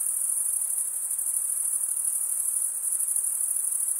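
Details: Crickets stridulating: males run one wing's toothed vein across the other. A dense, steady, very high-pitched shimmering trill holds at one pitch and pulses rapidly, with no pauses and no other sounds.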